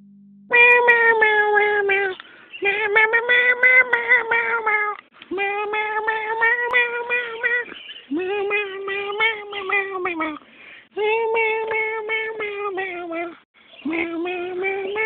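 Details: Pet cat that sings, producing a long series of drawn-out tonal meows, six sustained yowling phrases of one to three seconds each separated by short pauses, gently wavering in pitch, clear and close with no other sounds.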